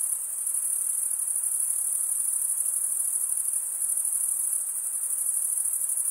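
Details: Crickets stridulating in a dense, unbroken chorus: a steady, very high-pitched shimmering trill that holds level throughout, with a faint hiss beneath and no other animals or voices.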